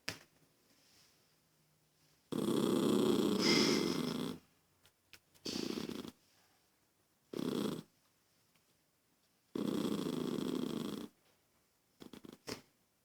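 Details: Irritated toy poodle reacting to a girl's noise with a long harsh growl of about two seconds, then shorter rasping growl bursts spaced a few seconds apart, in a quiet indoor setting.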